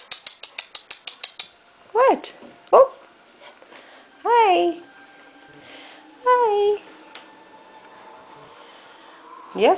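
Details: Three-week-old Golden Retriever puppies on the move in an indoor pen, giving high, rising-and-falling whines and squeals in short bursts, after a quick run of clicking taps, with a woman talking softly to them.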